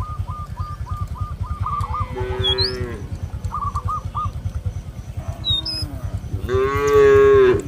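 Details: Cattle roaming a field in a village, calling companions to return to the barn: two hoarse moos, the second longer and louder, between rapid repeated high bird notes, sharp chirps and a steady low rumbling drone.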